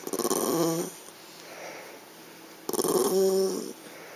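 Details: A female power Yorkie throws a tantrum over a treat stuck in a transparent box, voicing two complaining outbursts about two seconds apart, each a raspy stuttering growl that slides into a held, moaning whine.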